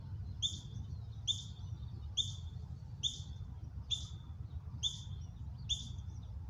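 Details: A juvenile ground squirrel, one of 10+ young practising foraging and alarm calls, gives a false alarm of sharp high chirps repeated just under once a second; the mother froze twice, treating it as a drill.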